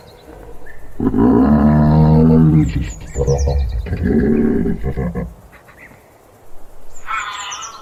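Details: Giraffe snoring hum: a long, deep harmonic drone lasting about two seconds, followed by two shorter low rumbling bursts, with thin bird chirps overhead and a brief higher tonal call near the end.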